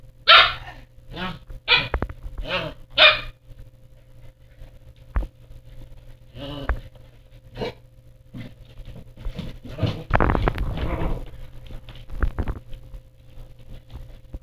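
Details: Pomsky, a husky and Pomeranian mix, barking five times in quick succession at the start, about one bark every second, then softer barks and a rougher, noisy burst around the middle, with knocks between.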